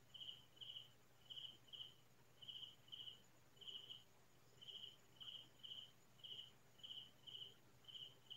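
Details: Crickets at night in rural farmland in the Philippines, heard nightly in loud chorus: paired high-pitched chirps repeating about once a second, steady and clear over a soft low background hum.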